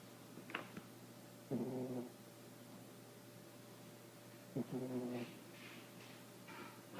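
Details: Sleeping young female dog gives buzzy, rattling snores about three seconds apart, each around half a second long, with faint higher rustles in a quiet room.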